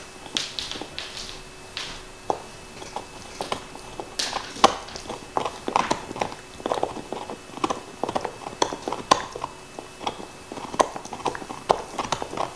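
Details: Nixon, a black Labrador Retriever, gnaws his favorite beef bone: dense, irregular crunches and sharp clicks follow one another rapidly, with wet mouth and licking noises and no talking.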